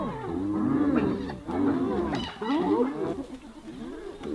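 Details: Hyenas assaulting one of their own: tangled, throaty moans and wavering cries come in three surging bursts, each rising and falling, then fade into lower grumbling.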